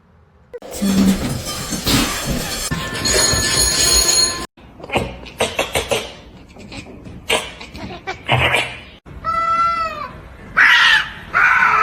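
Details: Domestic cat giving a single clear, drawn-out meow that rises then falls, heard late amid loud screaming, shouting and laughter from people and bursts of broadband noise.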